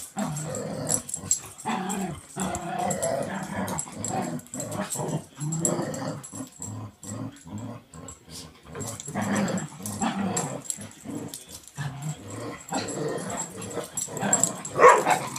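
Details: A dog gives a low, throaty rumble in a small indoor room, the growling sound rising and falling in uneven bursts with brief pauses between them.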